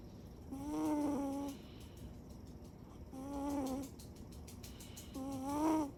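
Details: Siberian cat Chiro snoring while asleep with eyes open: three tonal, whistling snores of about one second each, repeated roughly every two to two and a half seconds, with quiet gaps between.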